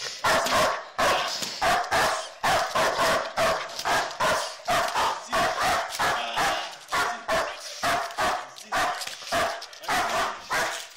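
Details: Tayson, a black German Shepherd in protection training, barks hard and steadily, loud rough barks packed close together for the whole stretch with barely a pause between them.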